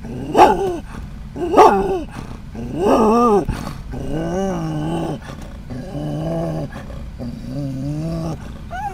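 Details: Scottish terrier in a moving van reacting to passing dogs and cats: two sharp barks, a third louder one, then drawn-out whining, growling yelps over constant engine and road noise.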